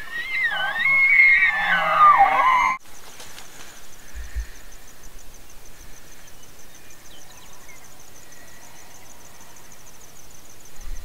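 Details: Elk bugling: a loud, high, whistled scream that wavers and slides up and down for under three seconds, with a faint low undertone, then cuts off to quiet outdoor background with a few soft distant tones.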